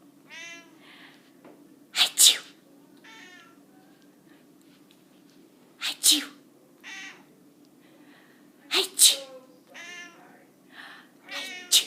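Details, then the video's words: A domestic cat sneezing repeatedly: sharp, explosive bursts in quick double pairs, recurring about every three to four seconds, with voiced, wavering sounds like human voices heard between the sneezes. "Crazy sneezing cat"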